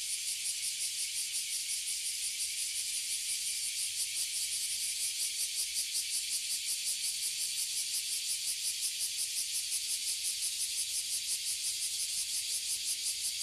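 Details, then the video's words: Tree full of abura zemi and kuma zemi, oily and bear cicadas, in Toyohashi City, Japan, producing an intense high-pitched buzz with a steady throbbing pulse of roughly three per second, nothing else audible. "Cicada in Japan"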